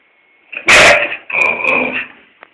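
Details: An English Springer Spaniel barking at its owner for no apparent reason: one loud sharp bark followed by a longer, rougher, whining bark-like sound, bright and harsh, fading after about two seconds.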